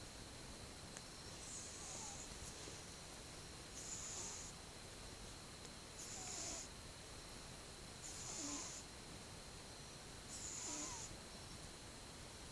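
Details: Sleeping twelve-month-old pet cat, filmed 8 October 2015, snoring softly: breathy hissing exhalations recur about every two seconds, each with a faint low rasp, over a steady indoor hum.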